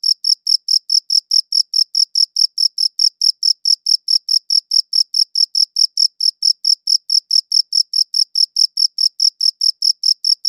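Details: Rapid, regular chirping of crickets, recorded with a good audio recorder: sharp high pulses spaced evenly several times a second, continuous throughout, with a quiet, noise-free background.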